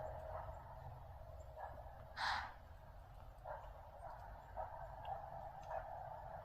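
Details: Alarmed deer, thought to be a doe, in thick fog, wheezing at something in the treeline and then at the person filming; one short, harsh breathy snort, with faint scattered calls and low steady background rumble.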